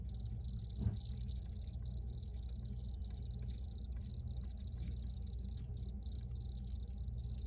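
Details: Crickets recorded outdoors, their chirping a faint, steady high trill with soft pulses in the background, under a constant low rumble of background noise.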